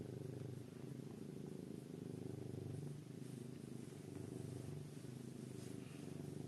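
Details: A kitten purring and snoring, a steady low rumble pulsing in slow breaths, each cycle about two to three seconds, with faint background hum.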